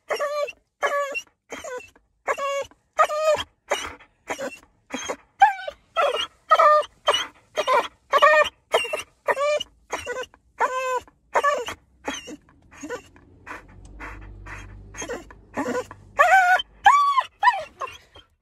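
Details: American Staffordshire Terrier named Moey crying in the car, eager for his walk: steady run of high whining yelps and moaning cries, roughly two per second, briefly easing midway over low engine rumble before resuming.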